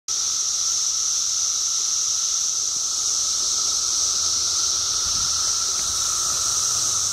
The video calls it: Periodical Cicada song